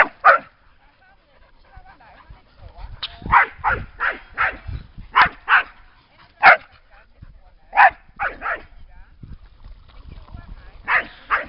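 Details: Dogs by the lake at Lida Nature Reserve on a summer day, barking in short sharp bursts, first a single bark, then quick runs of two or three, with irregular pauses between groups.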